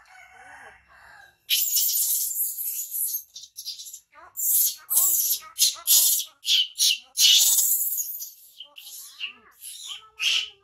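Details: Young male hybrid monkey, a rescued jungle baby raised by a villager, crying loudly after being bitten by its brother: harsh broadband screams in rapid bursts, mixed with short squealing upslurred whines, after a quiet opening.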